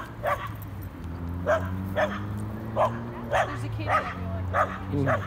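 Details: Playful barking from Corgi Nessi and Chihuahua mix Miles; sharp barks come roughly every half second to second, over a low droning hum and a voice in the background.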